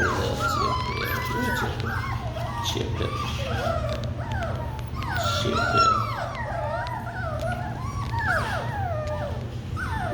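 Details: Several Labradoodle puppies of Kiwi's litter cry in a dense chorus of whining, sliding squeals and short yelps, many overlapping at once, while a person talks to them about food over a constant low hum.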